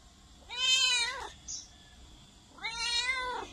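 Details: Loud cat gives two long, drawn-out meows, each rich in stacked harmonics, rising then falling, about two seconds apart.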